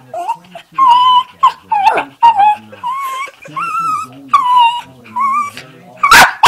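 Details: Pet dogs in a small room giving funny sounds: a series of drawn-out whimpering whines that bend upward and downward, separated by brief pauses, with people talking over them and a loud rustle near the end.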